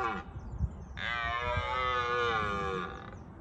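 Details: Bushy Park red deer stag roaring in the rutting season, warning rivals away: a sustained, rasping, almost two-second drawn-out roar, steady in pitch, preceded by brief rustling and knocks.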